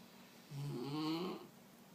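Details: Single snore from Picasso, a Mexican hairless dog: a low rumbling inhale of about one second with a rough, fluttering texture that thins and fades, heard in a quiet indoor room.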